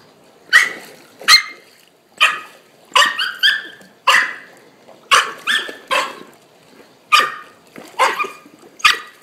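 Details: Three-month-old puppy, excited about the ball and the water while swimming under supervision, gives sharp high yipping barks, some doubled, in uneven bursts about every second over a quiet background.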